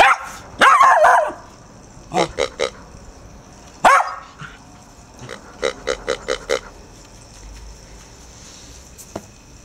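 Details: Four-month-old Irish Terrier puppy Murphy, a female, frightened by a snorting rubber pink pig; two strained, wavering yelps alternate with rapid trains of short snorting pulses, three then five in quick succession, from the toy.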